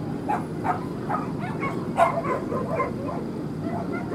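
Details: Male corgi puppy at a dog show at Lake Yamanaka on 3 July 2016: a run of short, sharp yapping barks about every half second, one louder bark midway, set against a steady murmur of crowd noise.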